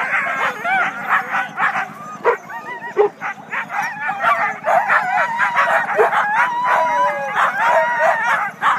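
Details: Excited Siberian huskies on a sled team just before a race start north of Weed, California, in February; a dense, continuous chorus of wavering howls, whines and yips from many dogs at once, with a few sharp clanks.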